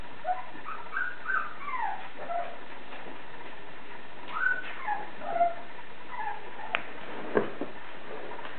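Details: Blue Thai Ridgeback puppies whimpering and squeaking, a string of short high whining calls that rise and fall in pitch, several overlapping, with a few sharp clicks and knocks near the end.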